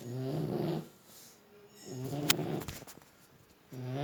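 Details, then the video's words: French Bulldog snoring in its sleep; a buzzy, nasal snore, a pause, then a rattling inhaled snore and the start of another, about two seconds apart. "Французский бульдог.Храпит."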